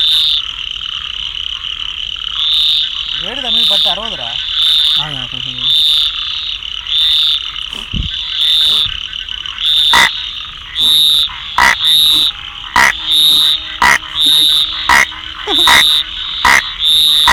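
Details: Rain frog calls over a continuous shrill chorus: short sharp chirps, sparse at first, then quickening into rapid irregular bursts in the second half.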